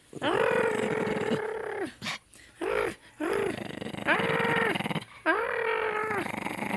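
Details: Dog in a growl-off with a person at home: long, drawn-out, tonal growling groans with strong harmonics, held one to two seconds each, repeated in about five bouts with short gaps, alternating with voices.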